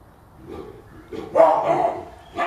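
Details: Captive baboons fight, with a male chasing the others just after eating. They give harsh, dog-like barking calls in a loud burst that swells then fades.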